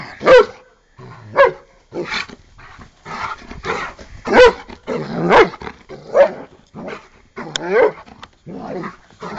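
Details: Giant Schnauzer Bart, aged eight, playing and attacking a foot like a pup; sharp barks every second or so alternate with rough growling and a person talking.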